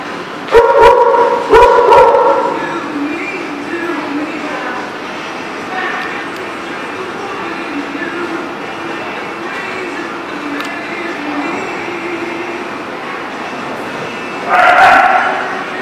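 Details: Dog barking at The Barking Lot, recorded January 19, 2018: a pair of loud, sharp barks near the start, a long stretch of lower background droning, then another harsh bark burst near the end.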